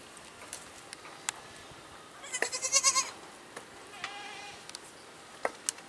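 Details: A goat gives one tremulous, pulsing bleat of under a second, followed by a softer, shorter bleat, over a low background hiss with a few faint clicks.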